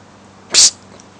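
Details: Norwich Terrier Odin playing in his pool gives a single short, sharp, hissing sneeze lasting about a sixth of a second, set against a quiet, steady background.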